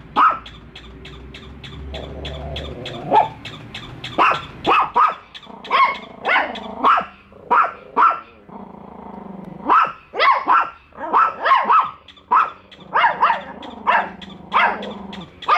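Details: Two pet dogs meeting a toy dog for the first time keep barking at it nonstop. Rapid, harsh barks come in long irregular volleys, with a low droning hum early on.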